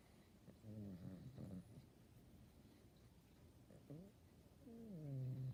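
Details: Pet dog grunting strangely as her face gets rubbed: several short low groaning moans, then a longer sustained grunt near the end, quiet and close in an otherwise still room.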